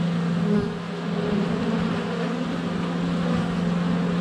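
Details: Close buzzing of honey bees at the hive entrance on a sunny February day, recorded with a GoPro Hero 7 Black; a strong low steady drone with a single bee's louder pitch hovering near the microphone.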